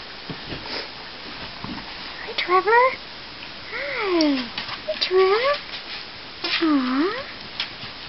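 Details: Six-week-old corgi puppies, some with ears just standing up, on an indoor puppy cam; a few short, wavering whines and yelps that swoop up and down in pitch, four bursts over eight seconds, amid faint background talk.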